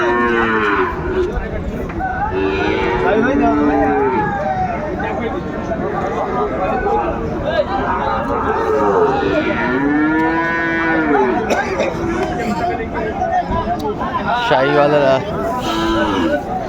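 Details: Sahiwal bull calves for sale at a cattle market on 27 January 2025 while Dhaka farmers bargain; several long, bending moos rise and fall over a busy background of voices and crowd noise.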